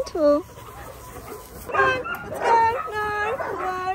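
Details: Linc, a baby Australian cattle dog, plays with the big puppies in a paddock. A high yelp opens the clip, then after a pause comes a run of several tonal, arching yips and whines with clear harmonics, some rising and falling.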